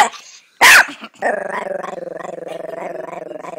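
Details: Small Chihuahua named Bear: one sharp bark followed by a steady, rapidly pulsing growl that continues for over two seconds.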